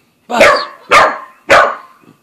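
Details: Three punchy, evenly spaced barks from Buzz, an Aussie and Corgi cross, confronting Bread Bandit the cat in the house; each bark is broad and harsh, about half a second apart.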